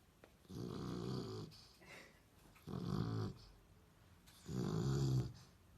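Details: A sleeping dog snoring: three rasping, low, throaty snores, each lasting about a second, spaced roughly two seconds apart in a quiet indoor setting.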